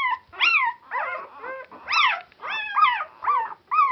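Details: Four-day-old Border Collie puppies of Clannad Border Collies, a noisy litter on Super Sunday 2012, give high harmonic squeals and whines, each arching up then falling, about seven cries in quick overlapping succession.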